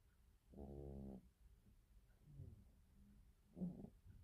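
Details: Cat snoring indoors: one long low buzzing rattle, a softer wheezy breath, then a shorter rattling snore near the end.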